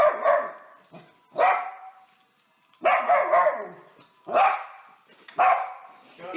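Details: A domestic dog gives five loud, full barks, roughly one every second and a half, each a harsh burst with a brief ragged tail, quiet pauses between them.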